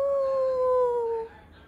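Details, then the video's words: Husky howling indoors during a playful 'language lesson' alongside a malamute pup, answering a person's 'Au' prompts: one clear, steady, slightly falling howl about a second long, ending abruptly, then quiet room tone. "Language lesson with a husky and a malamute pup"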